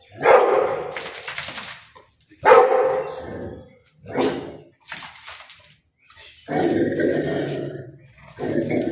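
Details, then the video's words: Rottweiler dog gives a series of loud, harsh barks, the first two strong and sharp, then shorter ones and longer groaning barks toward the end, spaced irregularly. "Rottweiler Dog barking"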